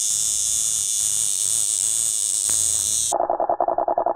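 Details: Hand-held Linne's cicada (Neotibicen linnei) from Middletown, New Jersey, recorded on a cellphone: steady, loud, hissing high-pitched buzz for about three seconds, then the sound turns into a muffled, low, throbbing pulse.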